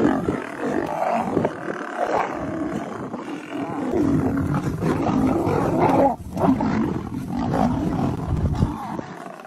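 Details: Lions fighting each other over a leopard: continuous harsh, rough roaring and growling with deep snarls, dense and unbroken throughout, briefly dipping near the middle before surging again.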